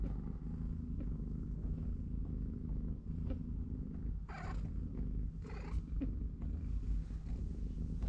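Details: Low, even purr from a cat family with three-week-old kittens, the mother watching them play; short scratchy rustles break in around the middle.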